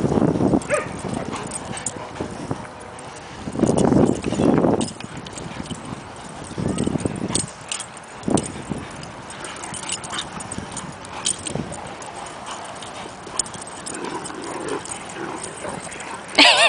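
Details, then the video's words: Large dogs playing together at a dog park, Great Danes and Irish Wolfhounds among four friends; deep rumbling growls and rough play noises come in bursts, loudest around four seconds, with scuffling, panting and faint human voices behind. "550+ Pounds of Great Dane/IW play!"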